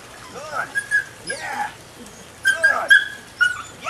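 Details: Female puppy, nine weeks old, whimpering and yipping close up, with rising and falling whiny cries in two clusters about two seconds apart, each made of several quick pitched squeals.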